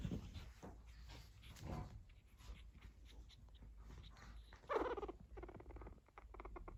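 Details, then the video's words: Fourteen-day-old pug puppies that have just begun walking, with their mother watching over them, give soft little noises; one short harmonic whine stands out midway over faint rustling and a low background hum. "puppies pug dog 14 day old,started walking and making low noises"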